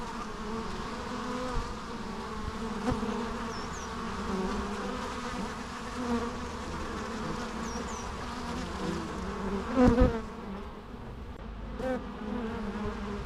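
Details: Natural bee sounds: a steady, even drone of many buzzing insects, with short surges as one passes nearby and a few distant high bird chirps.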